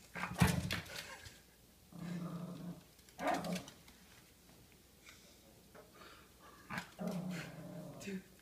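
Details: Baxter the pet dog, going crazy indoors and fighting off a scary vase, gives throaty growls and short snarling barks in uneven bursts, with quiet pauses between them.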